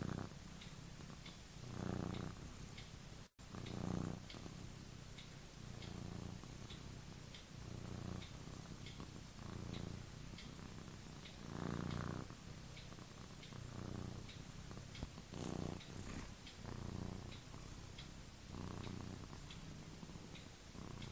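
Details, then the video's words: Domestic cat sleeping, snoring and dreaming: low, rumbling snore bursts come and go in uneven waves, roughly every two seconds over twenty seconds, with faint soft clicks above. "sleeping, snoring and dreaming (funny cat)"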